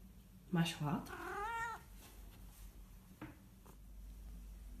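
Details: Persian cat in an angry mood, meowing indoors: a short sharp cry, then a long wavering drawn-out meow, over steady low background hum and a faint later sound.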